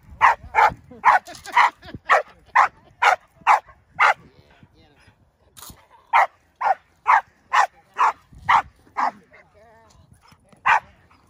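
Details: Indi, a six-month-old Belgian Malinois puppy, barks during bite work training, about twenty sharp, loud barks in a steady run, roughly two per second, with a short pause near the middle and faint background noise.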